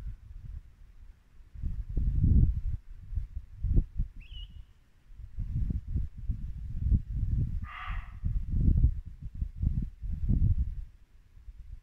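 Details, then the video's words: Muntjac deer in Norfolk woodland at dusk in late winter: a single short, harsh bark near the eight-second mark, set against the steady low rush of a babbling brook, with one brief high bird note a few seconds earlier. "Barking muntjac deer"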